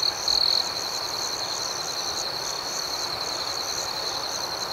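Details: Crickets chirping at night: a loud, close trill at the very start, then a steady, fast-pulsed high chorus continuing underneath.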